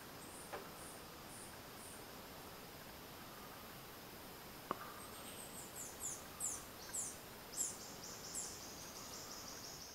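A Wied's marmoset gives a run of very high, thin chirps, each a sharp flick of pitch, coming roughly every half second. Faint insect buzzing and a steady outdoor hiss sit underneath.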